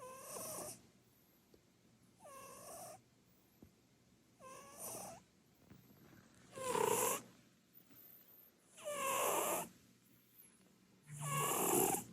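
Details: Purin, a chubby Munchkin cat with short legs, sleeping on the sofa and snoring loudly; six wheezy, whistling bursts of breath, evenly spaced about two seconds apart, growing louder toward the end.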